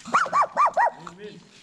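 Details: Around a poodle giving birth to seven same-colored puppies, four quick arched yelps come in an even run, each rising then falling in pitch. A softer, lower murmuring sound trails after them.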